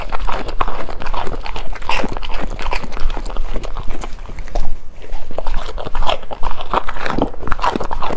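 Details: Golden retriever dog eating in close-up: dense, rapid crunching and biting bursts run throughout, irregular but near-continuous chewing clicks, with a steady low rumble underneath and no other voices or animals.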